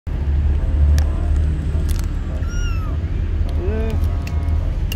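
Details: Kitten, confused on its first time outside the house, gives a high, brief arched meow, then a lower wavering one a second later, over a steady low rumble.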